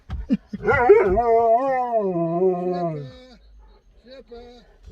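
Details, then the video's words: Siberian husky vocalizing at drive-thru staff to get a puppuccino: a short yelp, then a wavering, talking howl lasting about two seconds that slides down in pitch, followed by a brief soft whine. "Husky Howls at Staff for Puppachino at Starbucks Drive thru"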